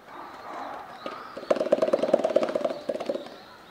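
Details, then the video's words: Captive western lowland gorilla siblings Kiyomasa and Annie of the Shabani family, aged 10 and 9, invite each other to play at Higashiyama Zoo, Nagoya, Japan. A rapid burst of hollow, drum-like pops sounds for nearly two seconds over murmuring crowd voices. "Hilarious Gorilla Siblings Call & Response"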